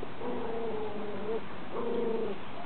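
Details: Lively puppies give two drawn-out, even whimpers, the first lasting over a second and the second shorter. Both are steady, flat-pitched tones with soft overtones, set against a low background hiss.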